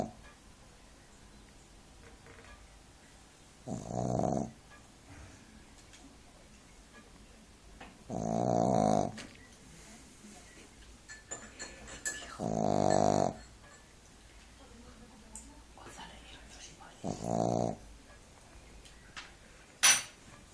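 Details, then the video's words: Shih Tzu napping, snoring like an old man: five rasping, harmonic-rich snores roughly every four to five seconds, each lasting about a second, between quiet breaths in a calm room. "Duke Roncando ( Shih tzu)"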